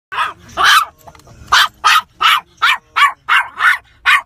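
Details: Asher, a toy poodle, barks with road rage in a car. Two sharp, high barks open, then a pause, then a rapid run of about eight bright, evenly sized yaps.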